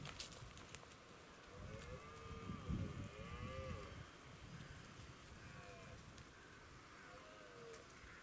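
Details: Red deer on Westleton Heath, recorded 16 October 2018; a deep, groaning bellow swells around the middle, with several fainter curved, moaning calls rising and falling before and after over steady outdoor background noise.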